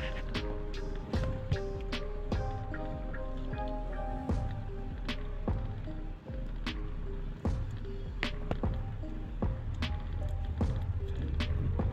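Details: Playful instrumental track of plucked melodic notes over deep bass and percussion, running continuously without any animal calls.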